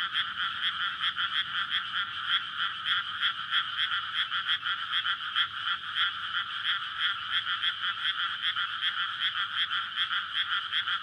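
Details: Courtship chorus of frogs at night in a flooded rice field in May, recorded on a SONY PCM-D100 beside a road; relentless rhythmic croaking, many voices overlapping in quick regular pulses across the whole stretch.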